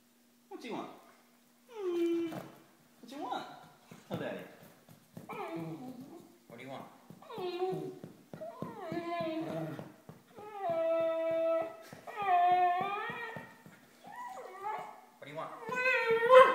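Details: Pet dachshund named Scooter indoors, 'talking' to ask for candy: long, drawn-out, whining yowls that rise and bend in pitch, several in a row, alternating with a woman coaxing him to say what he wants.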